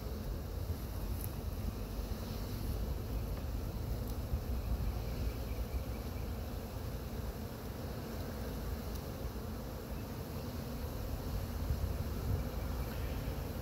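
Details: Honey bee swarm in Chattanooga being brushed off a pine tree into a box with frames; a dense, steady low buzzing hum runs unbroken throughout, with wind noise and faint rustling.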